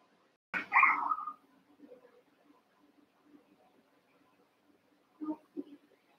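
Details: Cavalier King Charles Spaniel puppies at play in a pen, eight young littermates; one drawn-out squealing yelp opens, followed by quiet scuffling and two short, softer yips near the end.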